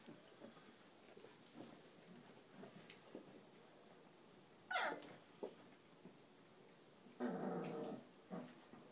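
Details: Cane Corso mix puppies, 22 days old, indoors: mostly soft snuffles, then a loud rising whine-like squeal near the middle and a broader noisy yelp or grunt burst toward the end.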